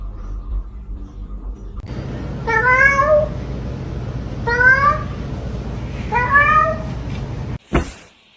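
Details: Cat in a funny cat compilation meowing three times at roughly two-second intervals, each meow short, clear and bending downward, over faint room hum, ending with a sharp knock.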